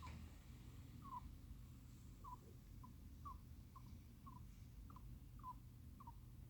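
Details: Sleeping hamster snoring and moaning while twitching its paws as if in a nightmare; soft, short squeaky peeps repeat roughly every half second, about eleven in a row, over a faint low indoor hum.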